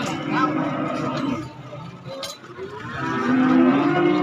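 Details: At a market selling calves and young bulls, cattle give a drawn-out, gently rising low moo near the end, preceded by murmuring voices, market noise and background music.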